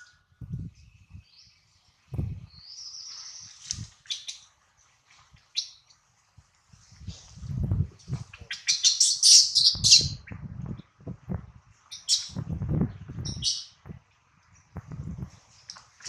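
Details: Baby monkey Adler, hungry and missing his mother, cries while held in the hands of a small monkey: shrill high squeals in bursts, loudest around the middle, over soft low handling rustles and thumps.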